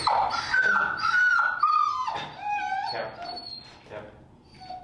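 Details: Finnegan, a very vocal feral dog in an indoor training class on place work and e-collar introduction, gives a run of high, wavering whines that step down in pitch, several drawn-out cries over five seconds that fade toward the end.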